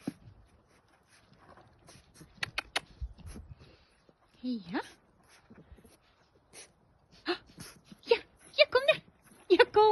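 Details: Staffordshire Bull Terrier puppies seeing snow for the first time: short high whines and yelps in rising and falling sweeps, clustered toward the end, between quiet stretches with human voices.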